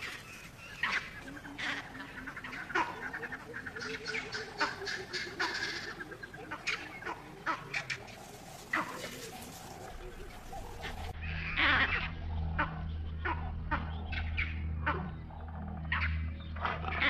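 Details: Vervet monkeys chatter harshly in the distance, repeated alarm calls echoing a jackal's barks and pinpointing a nearby leopard in Africa.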